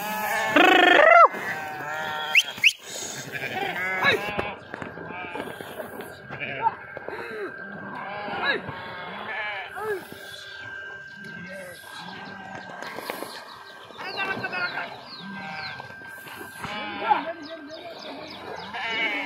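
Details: Flock of sheep swimming in a river after jumping in; opens with a loud wavering bleat, then a long stretch of many faint overlapping bleats, splashing and background voices.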